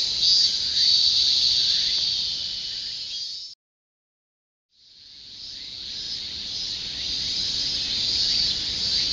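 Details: Insect chorus of steady high shrill buzzing, cut by a sudden gap of silence about a second long midway, then swelling back gradually to full loudness.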